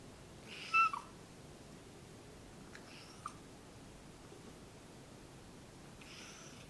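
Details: Talkative pet cat at home making short vocalizations as its owner comes near: one clear meow-like call near the start, a brief faint chirp around three seconds, and a softer call at the end, in a quiet indoor room.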